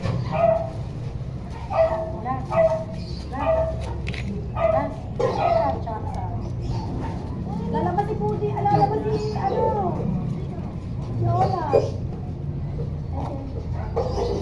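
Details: Toy poodle at stud service in Quezon City, Philippines, yapping in short sharp barks about once a second, then a longer whining stretch, amid music and nearby speech.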